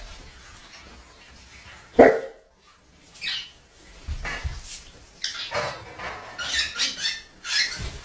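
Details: A Great Dane gives a single deep, loud bark at a bird, followed by scuffling and rustling noises.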